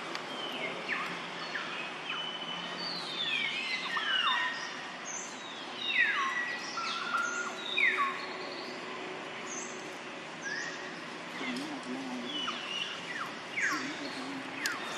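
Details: Young monkey Jody, son of mother monkey Jane, noisy while eating fruit: a run of loud, high, descending squealing cries, each sliding down sharply with harmonics, repeated irregularly every second or two amid faint outdoor background.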